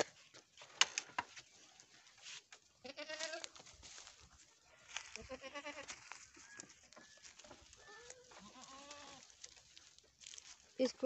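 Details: Farm goats in Nepal give a run of quavering, nasal bleats, some rising then falling, spaced through the recording, with clicks, rustling and scattered farmyard noise around them.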